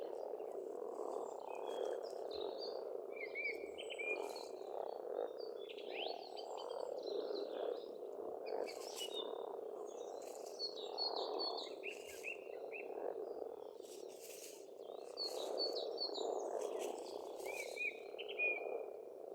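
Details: Dense spring chorus of frogs at an Estonian farm pond: constant overlapping croaking with gentle swells, accompanied by frequent bright birdsong of brief whistled notes and chirps.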